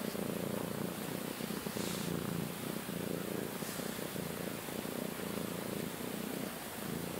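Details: Domestic cat purring loud and close, a dense rumbling pulse that never pauses, with two brief breathy rustles over it; one of two sister cats kept in a bedroom.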